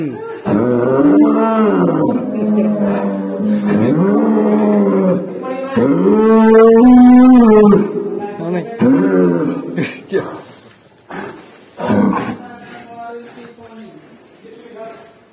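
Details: Black cow producing unusual calls over background music: several bending, harmonic moos in quick succession, the longest and loudest held near the middle, followed by quieter talking and music.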